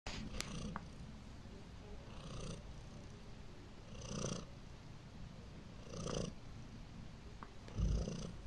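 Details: Domestic cat named Heliana purring her way to sleep; a steady low rumble runs throughout, swelling in soft breaths roughly every two seconds, with a faint high hiss above and no other sounds.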